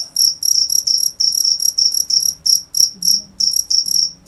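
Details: Rapid high chirps from a cricket, short trilled pulses repeated about three times a second with slight gaps, over a soft low background hum and one brief click.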